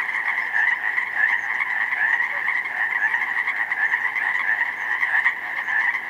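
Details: Pacific chorus frogs by the thousands singing in a spring meadow slough flooded by snowmelt, 19 May; rapid overlapping two-part croaks merge into a constant, shimmering chorus.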